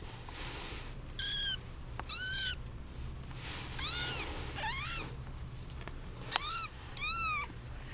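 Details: Young kittens, part of a litter of eight (seven female, one male) with their eight-month-old mother cat, meowing while fighting over her: high, harmonic, arching mews come one after another every second or so over a low steady hum.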